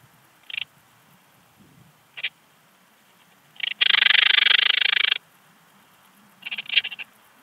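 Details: Eastern Alpine Bush-cricket at Heiligenblut, Austria, 4 September 2020: short isolated chirps, then a sustained rapid pulsed buzz of over a second, followed by further brief pulse groups; high-pitched, dry and rasping.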